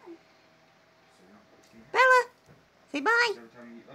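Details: Domestic cat indoors in a small room giving two short meows about one second apart, each rising then falling, with quiet background talk in Dutch.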